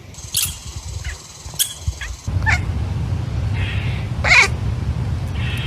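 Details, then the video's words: Pet kitten calling indoors: a short, strained meow with stacked harmonic bands that rises and falls, preceded by fainter squeaky calls, over a steady low room hum and bits of nearby voices. "cute kitties making animal noises"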